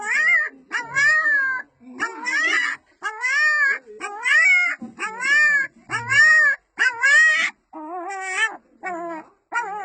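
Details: Small female puppy calling her mother: a steady series of arched, whining yelps, each about half a second to a second long and bending up then down, repeated nearly every second, with a few lower, flatter whines near the end.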